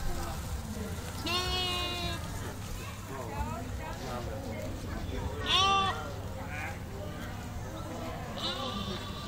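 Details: Skudde sheep from the herd kept at the Museum of Folk Architecture in Olsztynek, grazing on nettles: two wavering, harmonic-rich bleats near the start and middle, a fainter one at the end, with people chatting over a low hum.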